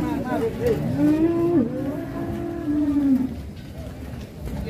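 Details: Low drawn-out lowing from a rampaging cow that broke free in Indonesia, one long level moo lasting nearly two seconds with a dip midway, men talking in the background.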